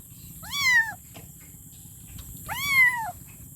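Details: Kitten meowing for its mother, two drawn-out wavering meows about two seconds apart that rise then slide down, with a soft click between them and a constant low hum underneath.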